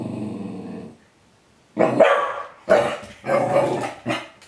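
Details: A corgi that rarely barks, shown the bitter apple spray bottle used to stop him eating poop, gives a low growl, then a run of sharp, loud barks and yips.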